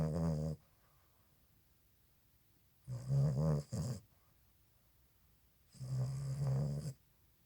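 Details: Sleeping Boston Terrier puppy, eyes open, snores in rough, rattling, low breaths, with three snoring bouts roughly every three seconds and near silence in between.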